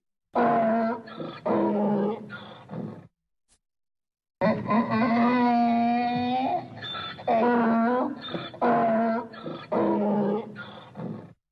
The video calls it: Donkey Sound Effect